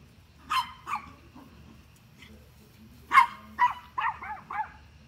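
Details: Dog barking at deer: two barks, a pause, then a rapid run of five barks that fall slightly in pitch toward the end, with low hum underneath.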